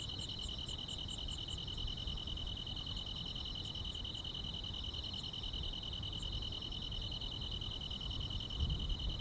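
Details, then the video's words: Summer-night grass insects keep up a constant high-pitched ringing. A quick run of higher chirps opens the clip, then thins to a few scattered chirps. Low rumbling noise throughout, with a brief knock near the end. "여름밤의 포근한 풀벌레 소리"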